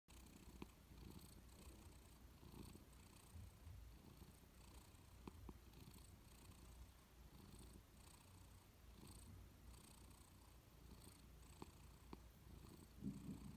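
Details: Persian cat dozing on a warm sofa, purring steadily: a continuous low rumble with soft rhythmic pulses through the whole stretch, quiet and close, with a few faint clicks and a slight shift in tone near the end.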